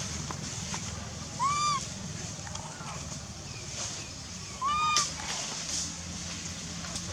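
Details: Wild baby monkey named Lizza in the Angkor Park Area forest, hungry and crying loudly for its mother. Two clear arched tonal wails, each rising then dipping, about three seconds apart, over steady outdoor hiss.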